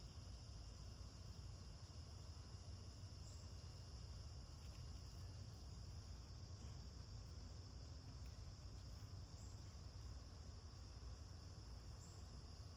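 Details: Cicada chorus droning through a garden on August 9, 2026, calling all day long: a steady, unbroken high-pitched hiss that never pauses, laid over a constant low mechanical hum from an air conditioner.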